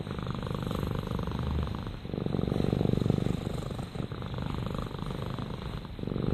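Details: Rama, a pet cat, purrs in a soft, low drone of quick regular pulses, growing louder around three seconds and easing off with each exhale.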